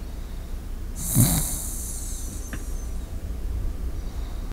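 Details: A Shiba Inu breathing in its sleep close to a microphone, one airy exhale with a soft snort at about one second, then quiet low background hum.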